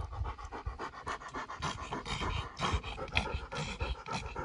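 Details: Pekingese Winnie on a nature walk in Charleston Lake Provincial Park, hustling to catch up with a fast-walking German Shorthaired Pointer: heavy, rapid panting puffs, roughly two per second, irregular in strength, over crunching leaves.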